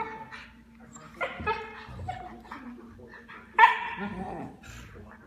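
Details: Two playing Siberian Huskies, a 6-month-old puppy and her 6-year-old sister, make harmonic yips, whines and talky barks over a toy while a person speaks.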